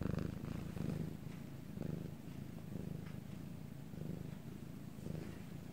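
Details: Quiet nighttime recording in Korea of the cat Bangul purring; soft, low rumble with gentle rhythmic pulses near one per second, slightly fainter and more even than usual, nothing else audible.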